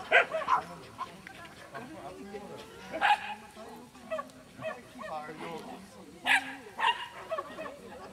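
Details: A Cairn Terrier at a club agility practice session gives short, sharp, high barks, singly and in quick pairs a few seconds apart, while people talk and chatter in the background throughout.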